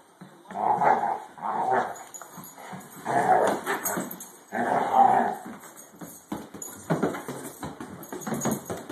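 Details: Lumpy the basset and Zack the borzoi pup playing together after dinner; rough, throaty growls and snarling barks come in loud bursts of about a second each, with short gaps between the rumbling outbursts.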